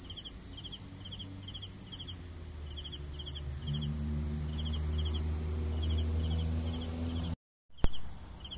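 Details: Crickets give rapid pulsed chirps, about two per second, with a continuous shrill insect hum above and low rumbling below; the sound cuts out briefly near the end before the drone resumes.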